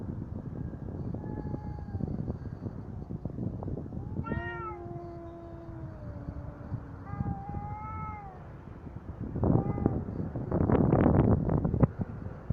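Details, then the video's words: Cats in a fight, trading long drawn-out yowls: harmonic-rich wails that hold steady or slowly fall, the loudest near four seconds and again after seven, then bursts of rustling and scuffling near the end over a low background rumble. "Коты батл."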